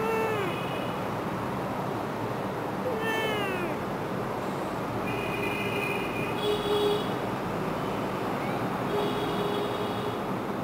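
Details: Cats of a cat family giving several high, thin mews with rising-then-falling harmonic arcs, some short and sliding, scattered across the recording over a steady background hiss.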